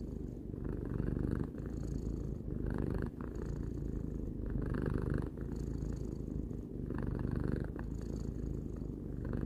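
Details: Purring of a three-year-old domestic cat: an unbroken, low motor-like rumble that lifts and dips with each breath every couple of seconds, with short pauses and airy breath noise.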